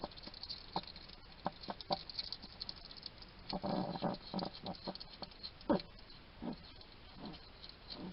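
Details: Hedgehog feeding in a Somerset garden, UK, a little male chatting to himself as he eats. Scattered crisp clicks give way to a denser burst of rustling, snuffling chews midway, then more spaced smacks.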